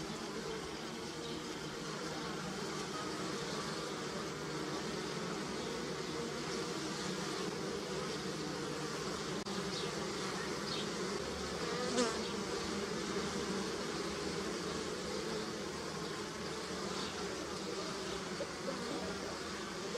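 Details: Bees foraging on pussy willow catkins: a constant low buzzing drone with overlapping wingbeat hums, gently swelling and easing, plus a short sharper sound around the twelfth second.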